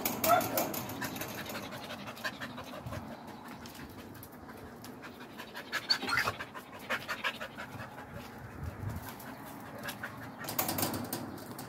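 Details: A Border Collie left at home while its partner dog is taken out for a walk whines and pants in short bursts while a person speaks nearby.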